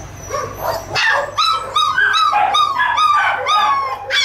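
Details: A 22-day-old puppy litter yelps in quick, high, whining cries, several each second, with rising and falling bends that overlap as more than one pup calls at once, over a faint low hum.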